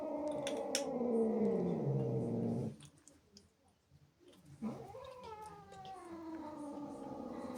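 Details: Jealous female house cat, upset by playful kittens invading her home, sounds a loud sustained yowl that slides slowly downward, then falls silent before a second rising, wavering wail begins.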